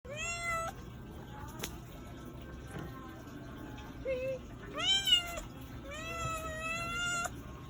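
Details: A domestic cat meows repeatedly, several drawn-out harmonic meows, some rising then falling, one short lower mew midway; faint background hum throughout.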